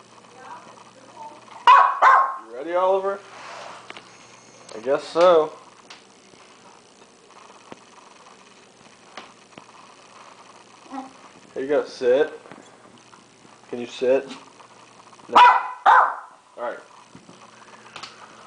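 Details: A hungry 'talking' dog named Oliver keeps voicing after being fed a hamburger, with scattered bursts of wavering, groaning yowls and whines separated by pauses and an owner's remarks.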